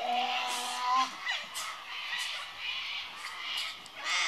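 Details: Two Tasmanian devils at Tasmania Zoo call to each other, trading a drawn-out moaning whine followed by harsh, raspy screeches and hisses.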